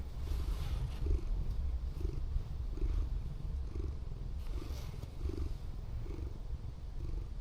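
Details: At an abandoned port, a female Scottish Fold cat, once a rescue, lies relaxed with her tongue out in a van at night and purrs loudly. The low, continuous rumble throbs in regular pulses, about one and a half per second.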